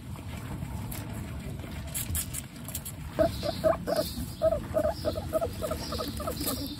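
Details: Pet guinea pig Coconut, a female, with her babies Pistachio, Pumpkin and Snow: after three seconds of rustling, a quick run of about eight short, squeaky tonal notes, evenly spaced, over soft shuffling bedding noise.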